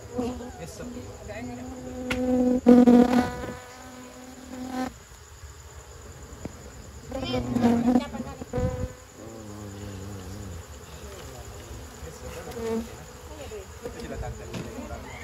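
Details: Honey bees around their nest while honey is taken by an amateur harvester; loud humming buzzes swell twice, near three and eight seconds, between quieter stretches with scattered knocks and handling noise.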